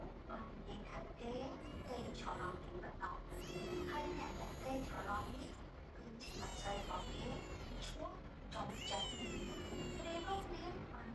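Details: Newborn kitten meowing: high, thin, wavering cries that sweep upward and fall, in bursts around the middle and end, over steady broadband room noise with faint voices or music in the background.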